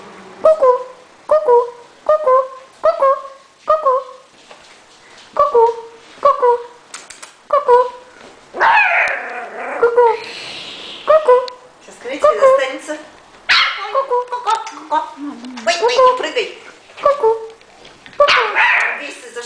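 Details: Small West Highland White Terrier puppy giving a run of short, high yelping yips in regular bursts, then a brief patch of louder, noisier barking and whining before the yips resume.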